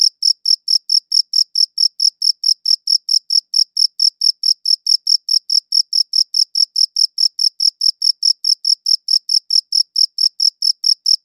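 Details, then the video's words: Crickets chirping in a clean recording: rapid, evenly spaced high-pitched chirps, about four each second, steady in loudness throughout, with no other sounds. "Cricket Chirping Sounds"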